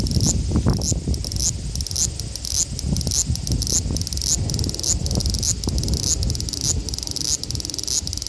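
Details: Male large brown cicada, Graptopsaltria nigrofuscata, in Osaka, Japan, on 5 August 2019, recorded with an Xperia XZ1 phone: a steady high sizzling buzz with pulsing accents recurring roughly twice a second over low rumbling background noise.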